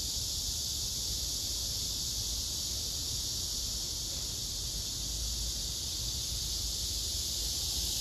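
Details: Several cicadas clustered on a tree, a male singing with wings spread and abdomen lifted amid competing males: continuous shrill, hissing buzz filling the clip, unbroken and even in loudness.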